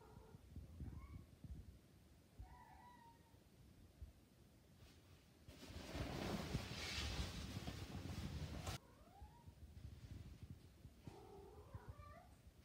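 A Maine Coon cat gives soft, rolling coos and short trills, typical of a cat in heat.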